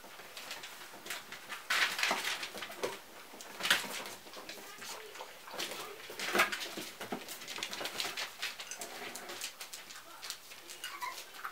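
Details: Basenji puppies playing with a box give brief high yelps and whimpers over scratching and rustling noises.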